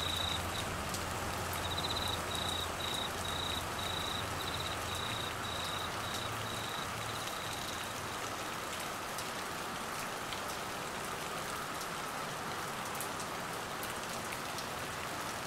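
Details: Cricket during Australian monsoon rain and flooding in Queensland: a run of high, pulsing trill bursts lasting about eight seconds, then only a steady roar of heavy rainfall.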